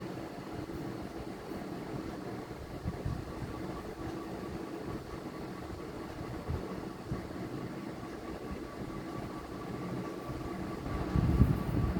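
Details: Steady low mechanical rumble like an idling engine or passing train throughout, with no animal sound.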